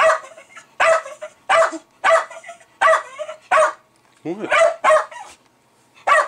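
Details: Milo the Jack Russell Terrier barks excitedly at a beer fermenter, roughly every half to one second, with sharp yaps and brief whines. His owner questions him over the noise.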